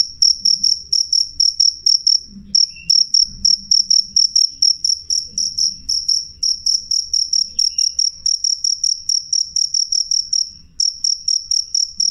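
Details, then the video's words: Cricket chirping clear and loud, high piercing pulses in a fast steady train, broken by short pauses near two and eleven seconds, over a quiet low background murmur. "suara jangkrik jernih keras"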